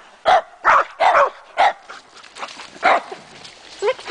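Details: Two dogs barking excitedly at a trailside tree thought to hide chipmunks; four loud sharp barks in quick succession open the passage, then softer, scattered yelps and a final rising yip.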